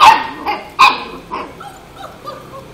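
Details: Labrador gives two sharp, loud barks, then trails off into softer, higher yips and whimpering sounds.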